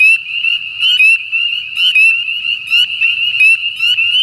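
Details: Spring peepers, a common winter-breeding frog in Southern Louisiana, in chorus: a constant high ringing with sharp, slightly rising peeps about once a second.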